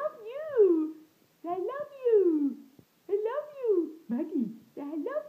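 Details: Maggi, a pet hound coaxed into 'saying' I love you, answers with five drawn-out, wavering tonal yowls, each about a second long and swooping up then down, separated by brief silences, sounding like mimicked speech.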